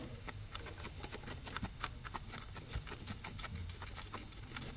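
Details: Two guinea pigs eating grass: a steady run of crisp, irregular crunching clicks over a low rumble.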